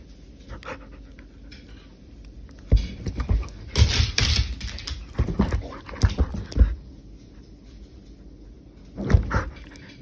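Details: Poodle at play indoors at home while staying within its prefecture during the coronavirus period; bursts of breathy, broadband panting come in clusters around three to four seconds and five to six and a half seconds, with a short final burst near nine seconds over quiet room hiss.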